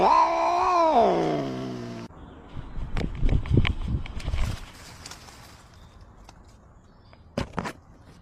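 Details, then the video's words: Male cat yowling during an argument with a neighbour's cat: a two-second rising then falling wail, followed by thumps, scuffling and clattering noises with no further calls. "snowy got into an argument with his neighbor #cats #meows #catsound"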